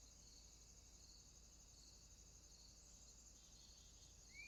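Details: High continuous trilling of crickets in a swamp at night, fairly quiet, with a single rising whistle at the very end.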